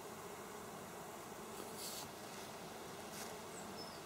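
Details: Busy bees at work, recorded 27 August 2024, making a continuous low droning buzz, with brief louder hissing passes around the middle and near the end.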